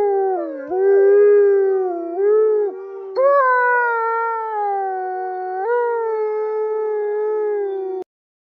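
A wolf howls in long, smooth, mournful tones that waver and step between pitches.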